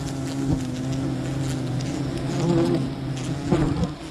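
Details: Wild honeybee colony during honey gathering: low humming buzz with layered tones that swell slightly midway, punctuated by occasional knocks and brushing sounds.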